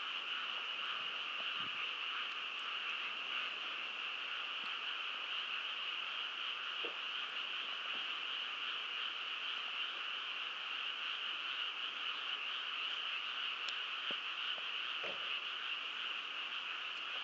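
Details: Many frogs calling together at Shiodadaira, Shinshu, Japan, their overlapping croaks merging into an unbroken, even drone that holds steady throughout, with a few soft low thumps in the background.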